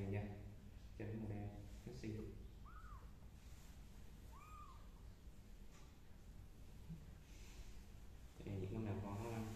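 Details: Kittens crawling on a carpet indoors give two thin, arched meows that rise and fall in the middle of the recording, framed by a man talking softly in Vietnamese at the start and end.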